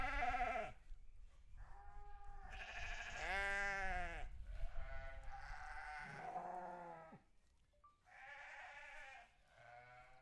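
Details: Sheep bleating on a farm in a near-continuous chorus of tremulous, harmonic bleats, some overlapping and shifting in pitch, fading to softer calls at the close.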